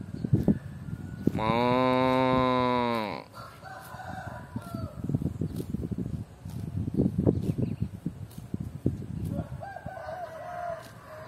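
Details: Cows eating grass: one loud, steady, deep moo lasting about two seconds, rich in even harmonics, amid crisp rustling and tearing sounds, with a distant rooster crowing faintly toward the end.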